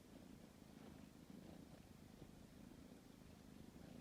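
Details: Purr of a tabby cat kneading as it settles down to sleep: continuous low throbbing rumble, even in loudness throughout.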